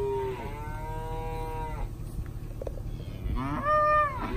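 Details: Cow-calf pairs of Angus, Brangus and Black Motley Face cattle: a long, level harmonic moo lasting nearly two seconds, then a rising, higher-pitched bawl, over a constant low background rumble.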